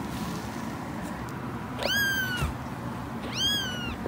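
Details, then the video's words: Cat producing two high, short meows about one and a half seconds apart, each rising sharply then tapering, against steady low background rumble and hiss. "Cats Meowing – Kittens Meowing Video – Cute Kitten Meowing Videos – Funny Cat Meows"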